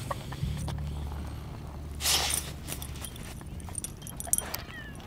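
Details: A corgi mix dog at the Great Reno Hot Air Balloon Races, pretending to be a pig, gives a short, breathy snort over a steady low mechanical hum.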